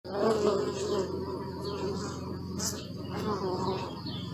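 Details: Bee buzzing close by, a steady droning hum with stacked harmonic bands that swell and fade as the insect moves, loudest in the first second and again near the end, with faint high background hiss.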